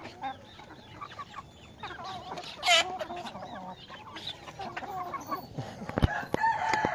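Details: Myanmar gamecock of a fighting breed, kept on a poultry farm. It gives a run of short clucks and squawky calls, with one loud, harsh burst midway and sharp knocks and clicks near the end.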